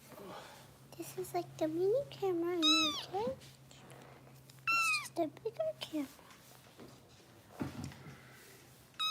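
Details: Foster kittens in Los Angeles, bottle-fed indoors during a rescue live stream, give high, arching meows with rich overtones, several in quick bursts, while a person talks over them and a low steady hum runs beneath.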